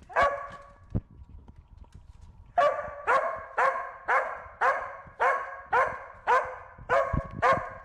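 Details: While herding a bee, the Corgi Wynee gives one bark, a short pause with a knock and faint hum, then a steady string of nine loud barks about every half second.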